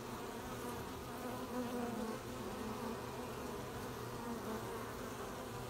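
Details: Bees collecting honey at an apiary on 20 July 2020; a continuous low buzzing drone of many insects, with individual bees passing close and swelling the hum now and then.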